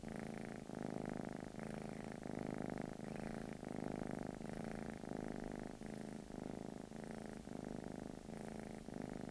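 A British Shorthair cat purrs continuously in a deep, vibrating rumble. The sound pulses gently with the cat's breathing, rising and falling roughly every second or so in a quiet room.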